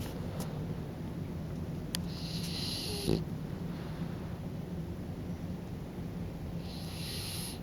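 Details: Kokubo, a French Bulldog, snoring while drifting off to sleep. Two airy, hissing inhalations about four seconds apart, each roughly a second long, over steady low hum.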